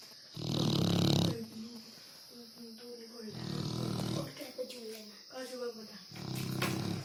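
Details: Dog snoring loudly; deep rasping breaths alternating with wavering nasal whistling tones between them, with a steady high background hiss.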